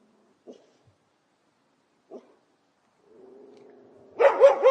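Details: Wicked yard dog. A couple of faint, short knocks are followed by a low rumbling growl. A burst of loud, rapid barks closes the recording.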